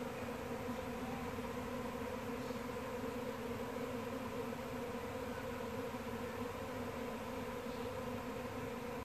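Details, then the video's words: Swarm of honey bees recorded 28 October 2017 in Brunswick, Victoria, making a constant, even, many-voiced drone without pauses, the layered humming filling the whole recording. "Bee Swarm"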